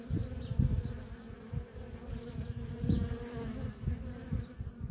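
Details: Nonstop traffic of worker honey bees at a feral colony: a steady, droning buzz with a clear overtone, broken by low rumbling thumps and a few faint, high chirps.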